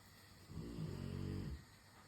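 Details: Rottweiler snoring while waiting for dinner to be made: a single low, rumbling snore with a harmonic buzz, lasting about one second, over a quiet steady background hum.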